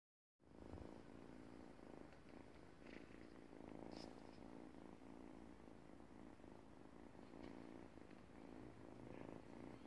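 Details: Domestic cat purring while eating pants; a quiet, steady low rumble runs unbroken through the whole stretch, with a few faint clicks and rustles on top.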